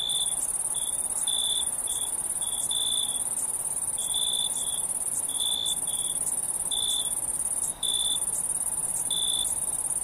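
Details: Nighttime cricket chorus: a continuous high-pitched ringing trill overlaid by short piercing chirp bursts recurring about once a second, even loudness, with a brief dip near the end and nothing else audible.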